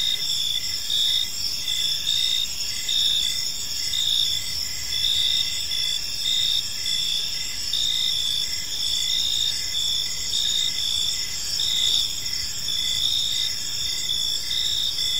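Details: Several crickets calling together in a park at evening, a dense shrill chirping chorus with short pulses repeating near once per second and a steady high drone, light low rumble behind.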